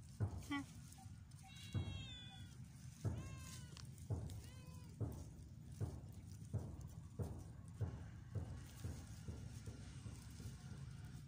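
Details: Luna, a pet cat, training and playing: a series of short meows, some downward-sliding and some bent, spaced about a second apart among soft thumps, low rumble and possible background voices.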